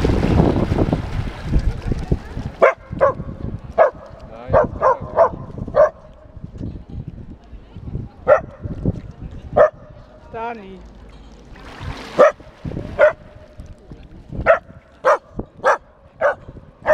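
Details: Australian Terrier named Lesnoy´s James T. Kirk at his first fountain, giving sharp barks in irregular bursts, some close together, with splashing water at the start and a brief whining sound midway.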